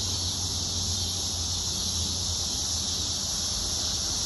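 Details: Massed cicadas in Illinois produce an unbroken, high-pitched sizzling drone of even loudness, with a soft low rumble beneath.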